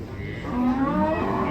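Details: Cow mooing once, a rising, harmonically rich call that swells and then tapers, over a noisy background.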